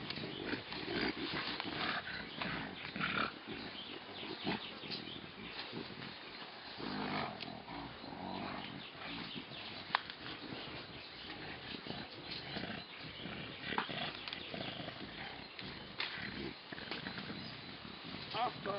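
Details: Mountain gorillas of the Humba group in Virunga National Park, a blackback male and an adult female wrestling and playing, give rough, breathy grunts and throaty vocalizations amid steady rustling and scuffling.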